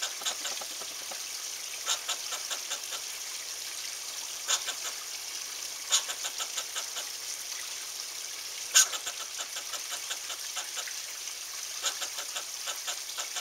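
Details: Angry squirrel near a cat, giving a harsh, rapid broadband chatter of short clicking pulses in repeated bursts, with a steady hiss behind it.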